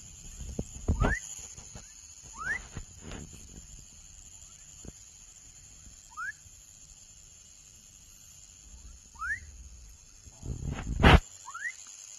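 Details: Froglet repeating brief upswept whistles at irregular intervals, several fainter than others, interrupted by loud knocks and rustling bumps, with a steady high hum throughout.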